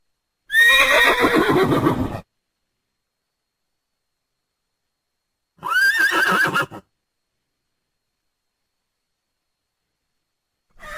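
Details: Thoroughbred horse neighing: two loud whinnies, the first about 1.5 seconds long with a shaky, descending, pulsed tone, the second shorter and quavering, separated by several seconds of silence, with a third call starting at the end.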